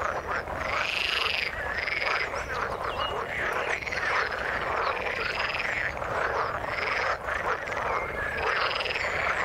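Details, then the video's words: Frog chorus from the water with rising-and-falling arched calls repeating roughly every second or two over a dense bed of rapid croaking. "Frog sound in the water"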